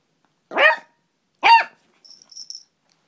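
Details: An excited dog barks twice, two sharp, loud barks about a second apart, followed by a faint high whine.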